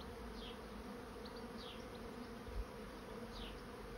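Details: Honey bee swarm moving into a swarm trap: a soft, steady droning hum runs throughout, with thin, falling bird chirps scattered above and a brief low thump.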